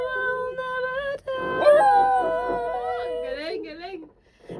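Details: Pet dog urged to sing: a long, tonal howl holding a steady pitch, bending upward into a higher wavering stretch, then sliding down into short quavering wobbles before fading; a sharp click near the start of the rise.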